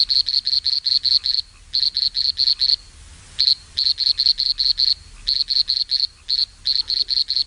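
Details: Insect-like song of a frog from the third and fourth species of a group, unlike the previous species: rapid high-pitched clicking pulses in bursts of several, steadily repeated with brief gaps over a quiet background.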